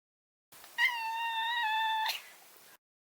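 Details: A single sustained meow, steady in pitch and evenly loud for over a second, from the neutered male Maine Coon Maro, tapering off softly in a quiet room.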